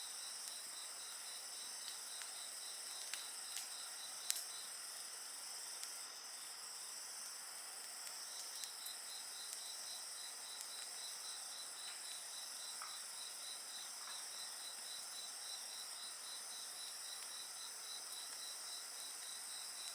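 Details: Chorus of insects beside a crackling bonfire: rapid regular pulses in a high trill run unbroken under a constant high-pitched hiss, while scattered pops and snaps of burning wood punctuate the background.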